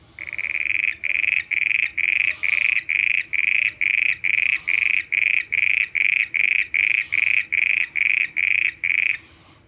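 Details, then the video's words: Frog calling at night: a loud, steady run of about twenty short harsh notes, each roughly a third of a second long, repeated about twice a second with brief gaps, over a faint background hum. "mendak voice frog 🐸 sounds at night"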